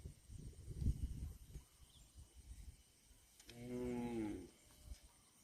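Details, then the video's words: Cow mooing once, a harmonic, slightly wavering moo lasting about a second midway through, preceded by low rumbling noise and thumps. "CUTE AND FUNNY COW SOUND VIDEOS COMPILATION"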